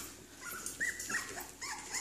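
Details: Cairn Terrier puppies from one litter, about five weeks old and teething, indoors: a short, thin, high whine around the middle, then a second brief squeal, with quieter low noises and soft room sounds between.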